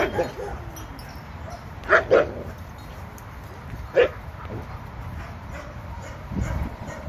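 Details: Abandoned senior Labradors, eight years old, held in kennels after being found in a vacant lot off the 710 freeway: two clipped barks back to back, a lone bark two seconds later, then a soft muffled sound amid background rumble.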